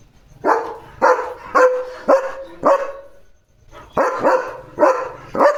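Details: Barking German Shepherd, Leo, alerting to another dog outside near a farm; steady runs of sharp barks roughly every half second, a short pause at three seconds, then four more barks.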